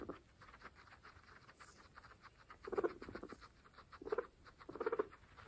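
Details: Pregnant female guinea pigs feeding on fresh grass give low, pulsed chutting bursts, three short stuttering calls in the second half, over steady crunchy chewing and nibbling clicks.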